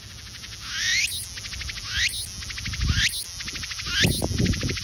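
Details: A cicada calls in loud repeated phrases about once a second, each a rising buzzy sweep that breaks into a rapid pulsing rattle, with low thumps and handling noise underneath.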